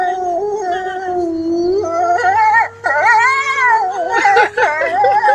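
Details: A group of gray wolves at Kostroma Zoo, Russia, howls in chorus: drawn-out, mellow voices slide up and down and overlap. One steady howl holds beneath while others waver higher, with brief pauses between phrases.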